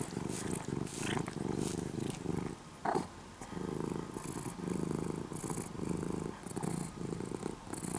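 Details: Morning purring from an orange-and-white former stray kitten, cared for over three years and now almost a house cat: a low, throbbing purr in pulses that rise and fall with each breath, with a short pause near the middle.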